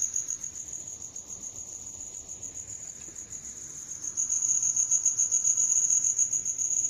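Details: Cricket chirping steadily in a high, thin trill, a rapid pulsing stream of chirps that grows louder after about four seconds, with faint hiss in the background.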